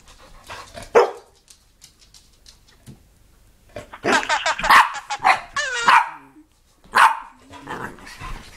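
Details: Haley, a pet dog indoors, cries to talk to grandma on the phone: a sharp bark followed by bursts of wavering, whining yelps and bark-like cries, with a person speaking nearby.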